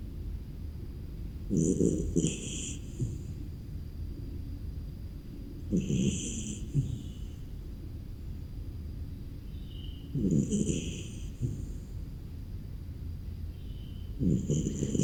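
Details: Snoopy, a beagle, snores on a rainy, cold morning while napping in its kennel, each breath a low, rasping rumble with a faint whistling edge, coming in slow, even bursts about four seconds apart.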